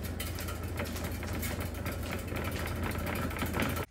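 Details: A steady idling engine rumbles throughout, cutting off abruptly at the end, with no animal calls.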